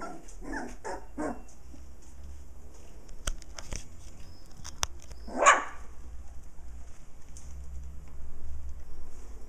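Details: Six playful puppies romping near their mother dog: a quick run of four short, rising yips in the first moments, then a lone sharper yelp midway, with sharp clicks and a low rumbling background throughout.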